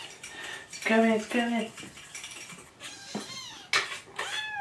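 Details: Hungry kittens Jugg, Anita and Ru crying for their morning food: two strong, nasal meows followed by thinner, higher kitten mews, with clattering dishes and soft speech in the background.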